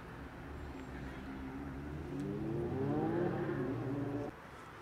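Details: Domestic cat meowing, a cat later raided by a huge white cat: one long drawn-out meow lasting about two seconds, its tone gently rising and wavering before cutting off, over a steady low outdoor rumble.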